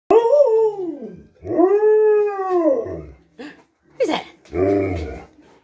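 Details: Two Alaskan Malamutes give long, arching howls that rise and fall, welcoming their owner home after a day of work.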